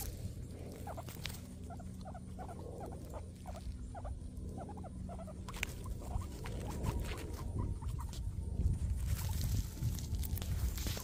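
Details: Guinea pigs munching grass, giving quick soft crunching chews in irregular runs, some sharper clicks and rustles, a steady low hum beneath and louder rustling toward the end.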